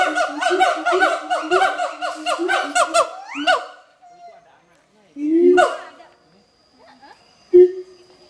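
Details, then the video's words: Mated adult siamangs at the Schmutzer Primate Center sing their territorial duet: a fast run of rhythmic, harmonic barking notes rising in pitch for three seconds, then a pause and two deep, loud booming calls. "Duet Song of Siamang Gibbons (Symphalangus syndactylus)"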